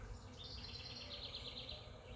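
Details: A huge swarm of honey bees hangs from an oak tree in a yard, giving a steady low buzzing hum beneath thin, high whistled notes from birds nearby.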